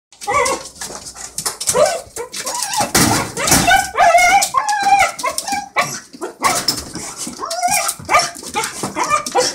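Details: Hunter, a pet dog greeting its owner, lets out excited, high-pitched whines and yelps that wobble up and down in pitch, coming in rapid, uneven bursts over thumping and rustling.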